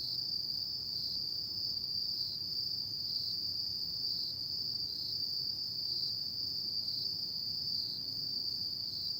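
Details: Autumn night insect chorus, a sustained high-pitched ringing trill with gentle rhythmic wavering, accompanied by a faint low background rumble.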